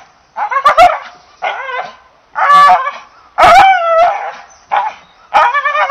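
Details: English Bull Terrier barking in irregular bursts, harsh harmonic-rich barks with some rising, whiny, yelping inflections, short pauses between volleys, no other clear sounds.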